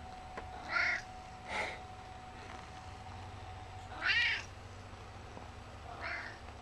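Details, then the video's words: Gizmo, an 11-year-old chunky male cat in a chatty mood, meows four times: two short calls close together, a pause, then a louder, stronger meow and a final softer one. A faint hum sits in the background. "Meet Gizmo! he's so talkative!"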